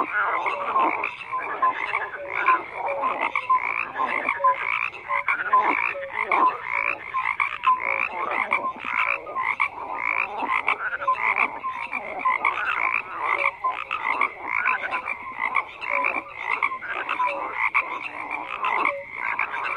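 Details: Continuous croaking from a crowd of frogs, rapid pulsed rasps overlapping densely with scattered short tonal calls, unbroken for the whole stretch.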